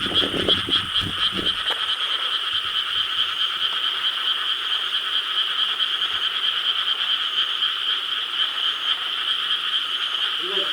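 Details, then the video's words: Chorus of many frogs croaking through the night in rice paddies of Korea, recorded 4 July 2013; a steady dense trill of overlapping calls, with a few low near croaks and knocks at the start, then an even unbroken wall of sound. "Chorus of frogs croaking in rice paddies of Korea"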